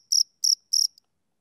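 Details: Three short, high, trilled chirps from a male cricket on a summer evening, followed by a faint click and then silence.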